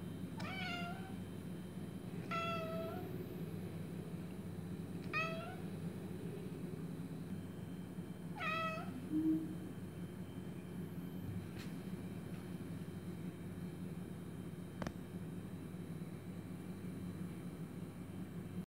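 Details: A female Scottish Fold cat, sitting at a window watching birds, gives four short, clear meows over a steady low hum.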